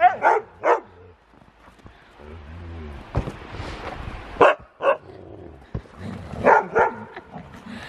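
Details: Huskies wrestling in play at home, not really fighting: short bursts of yipping barks and rough vocal noises in uneven clusters, with quieter low rumbling between the louder yelps.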